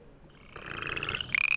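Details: Upland Chorus Frog gives a rapid, rising trill of clicky pulses, like a thumb run along a comb; this call is heard at night in January or February in woods with ephemeral water, often alongside peeping spring peepers.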